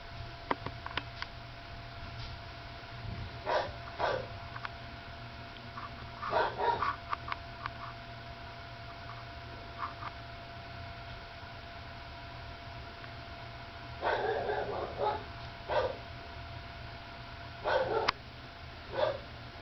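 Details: Sleepy nursing puppy, third pup of a dog named Lacey, making soft, short harmonic squeaks and whimpers in scattered bursts, some paired, with quiet gaps between them over a steady low hum.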